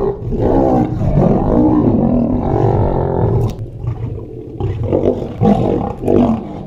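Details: Free lions feeding and fighting over meat at Mount Etjo Safari Lodge, Namibia, heard up close; a long, loud rasping roar-snarl for about three seconds, then shorter, broken growls and snarls.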